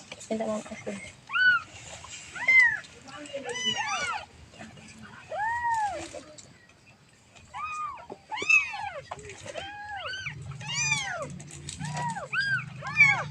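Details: Baby cat calling its mother with a steady series of arched, high-pitched mews, some spaced apart and others in quick bursts, quiet overall, with a low hum in the background.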